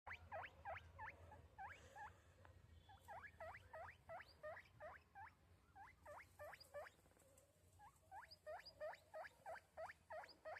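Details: Pet guinea pig calling in a rapid series of short, high, upward-sweeping squeaks, about three per second, in bursts with brief pauses, over faint background hiss.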